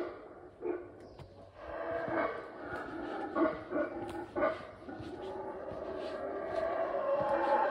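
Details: Howler monkeys roar from directly overhead, unseen at the top of the tree canopy at the Mayan site of Yaxhá, Guatemala. Rough, throaty roaring surges in uneven pulses and grows steadily louder and more continuous toward the end.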